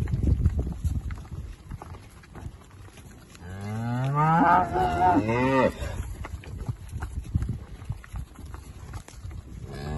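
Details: Holstein Friesian milking cow from a UK dairy herd calved in spring and summer, grass-grazed and milked twice daily: one loud, drawn-out moo of about two seconds, bending up then down, amid shuffling hooves and thuds.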